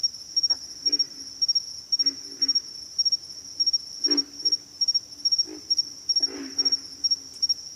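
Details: Low, snorting grunts of pig frogs come in loose groups of two or three every second or so, with a continuous high insect whine running behind them.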